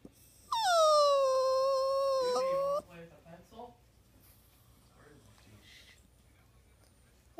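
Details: A crying poodle named Buddha lets out one long, steady, high-pitched whine lasting about two seconds, ending abruptly, followed by faint room noise.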